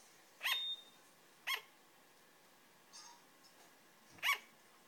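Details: A female sugar glider gives sharp, high yapping barks, spaced a second or more apart.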